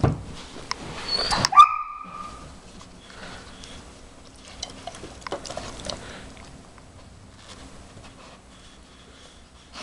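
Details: Jimmer, a 4.5-month-old briard puppy, calls from the background indoors while wanting to join a nosework game. A single sharp, high yelping bark comes early, followed by near quiet with faint shuffling and handling noises.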